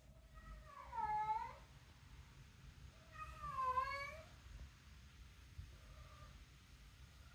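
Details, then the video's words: Female pet cat, called a talking cat, vocalizing while taking her own toy out indoors: two long, clear meows rising then falling in pitch about two seconds apart, then a softer short meow, over a low steady hum. "talking cat taking her own toy out"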